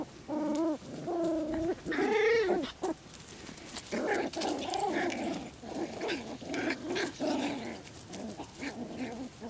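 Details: Poodle puppies aged six weeks, harlequin and black-and-tan, playing in a Swiss garden in Güttingen; a few clear drawn-out whines open, then a busy jumble of softer yips and scuffling noises.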